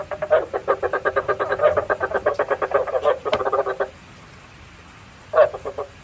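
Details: Lure recording of frogs for trapping at night: a long, fast train of pulsed, rattling croaks lasting about four seconds, then silence and a brief second burst of croaks.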